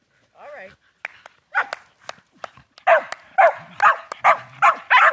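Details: Shetland Sheepdogs playing with a new flying squirrel toy, one of them named Charlie. Thin clicks and a low voice open, then rapid excited barks follow roughly twice a second until the end.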